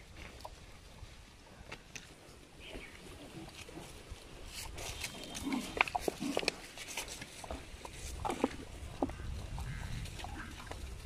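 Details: Many domestic pigs (Sus scrofa domesticus), adults and piglets of an Asian village herd, eating natural food: grunting and snuffling in short, irregular bursts, mixed with crunching and rustling.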